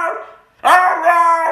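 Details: Hyperactive Siberian Husky giving a fading tone, a short pause, then a loud steady sustained howl with rich overtones, held evenly for nearly a second.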